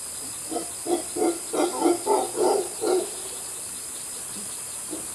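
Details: Mantled howler monkey (Alouatta palliata) in Costa Rica gives a run of deep, rhythmic grunting pulses over a steady high insect hiss.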